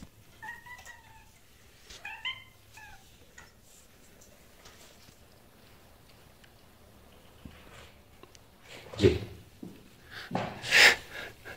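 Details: Orange kitten threatening a fat male cat that is playing with a toy, indoors; two short, wavering, meow-like cries in the first three seconds, then quiet, then loud thumps and clatter near the end.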